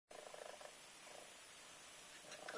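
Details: A Minskin cat purrs as it wakes a child: soft rapid pulsing rumble, strongest in the first half-second, then fading to a faint steady hum with low room noise.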